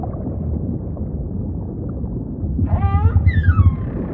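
Humpback whale song: a wavering, harmonic moan followed by a smooth descending whistle over deep underwater rumble.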